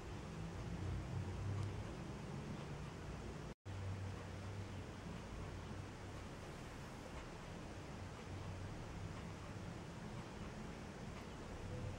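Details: Steady broadband hiss fills the whole recording, broken only by a brief dropout to silence near the four-second mark, with no animal voice audible.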